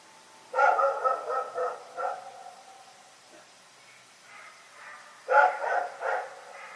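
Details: Rex, a dog, barking at night: a loud burst of several quick, harsh barks, a lone bark after it, faint distant-sounding barks in the pause, then another loud cluster of rapid barks near the end.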